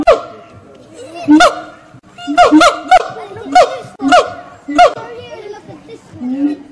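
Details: Monkeys at Fota Wildlife Park in Cork, Ireland sing: steady tonal hoots held on one pitch, broken by sharp whooping notes that swoop up and down roughly every second, quieter hooting in between.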